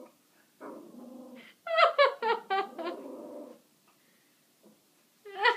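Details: Young Yorkie Luna, six months old, growls and barks at a bobble-head dog frozen on a TV screen indoors; a low growl leads into four quick snappy barks, then a rumbling growl and a final bark.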